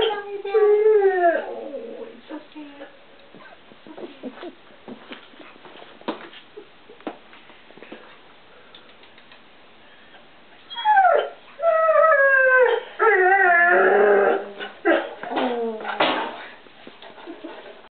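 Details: Ozzy, a one-year-old male English Setter puppy, in a home kitchen calling out for stored treats; high wavering whines and yodelling howls rise and fall at the start, then return in louder bursts near the end, with a woman's voice between them.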